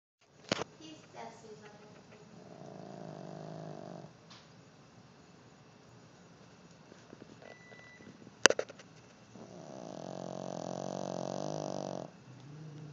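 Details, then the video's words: Pet dog snoring in deep sleep that nothing wakes: two long, soft, raspy breathing rumbles separated by quiet gaps, with a few sharp clicks and handling knocks. "doggie snoring"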